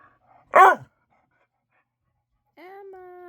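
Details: Indoor pet dog at bedtime seeking attention gives one loud harmonic bark, then after a pause a steady tonal whine-like sound begins.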